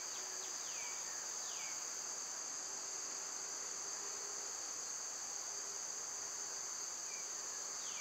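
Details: Cicadas droning continuously in summer, a high sustained buzz, with a few downslurred bird whistles at the start and again near the end.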